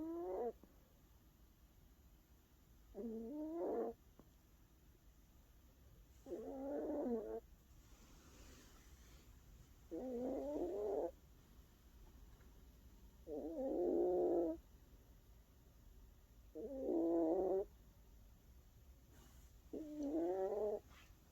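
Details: A 17-year-old female Maltese dog snoring while asleep; throaty rasping snores about every three seconds, each lasting under a second, with quiet gaps between.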